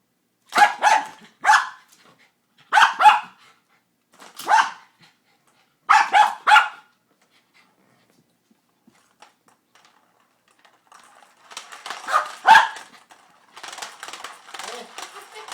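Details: A dog barking while excited over a cat toy, with a ball stuck inside that he cannot get out: sharp barks in pairs or triplets about every one and a half seconds, a quiet pause, then softer scuffling and one more bark.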